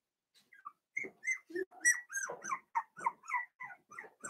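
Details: Four-week-old Cavalier King Charles Spaniel puppies, Daisy's litter, in an indoor pen: a rapid run of high, squeaky whimpers and yelps, several overlapping, roughly three or four cries a second.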